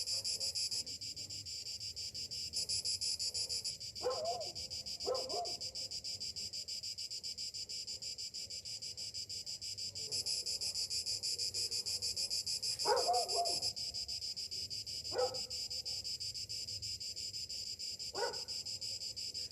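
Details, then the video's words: Cicadas singing on a summer morning: a steady, dense high-pitched buzzing drone that swells and fades in intensity, with a few brief lower chirps from other birds scattered through. "Morning summer cicadas sounds"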